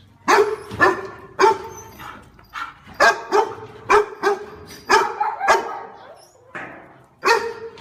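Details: Continuous barking from a pet dog, loud clipped barks spaced roughly every half second with a few softer ones between, ending in a short quiet gap and two final barks.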